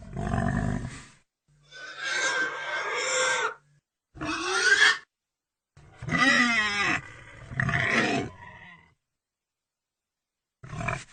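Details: Several harsh pig vocalisations separated by pauses: low rasping grunts mixed with higher, bending squealed notes, roughly six bursts across the stretch, each lasting about one second.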